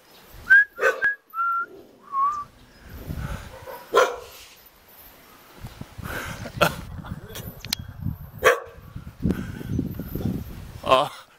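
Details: In Jeonju, Korea, a Jindo dog wagging its tail greets a visitor with high, thin whistled whines, followed by rustling and a person's voice.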